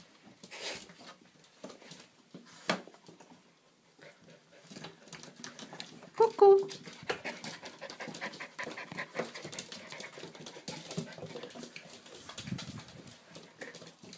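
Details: Labrador Retriever puppies indoors, panting and snuffling in short irregular breathy bursts throughout, with a brief high squeaky whimper near the middle and soft rustling of movement around them.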